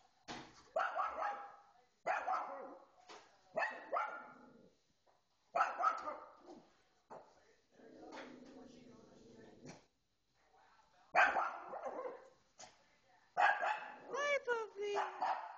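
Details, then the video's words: Kiki, a female pet dog, barks excitedly at the television while watching Pet Star. Sharp barks come in short bursts with gaps between them. A high whining yelp follows near the end, and voices from the TV are heard in the background. "Dog Barking at TV"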